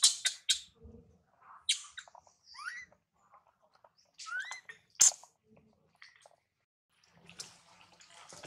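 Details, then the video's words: Baby monkey Mila, being weaned and warned off by her mother Malika, cries loudly in short bursts: harsh noisy shrieks alternating with thin upward-sweeping squeals, broken by brief silences. "Poor Tiny Baby Mila Warns And Weans Her Till Crying So Loudly Sound"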